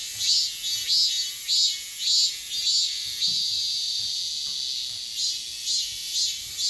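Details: Korean chammaemi cicada calling in summer, the season its song fills from start to end: high, rasping pulsed notes repeat in an even throb about 100 times a minute, briefly blurring into a continuous drone midway before pulsing resumes.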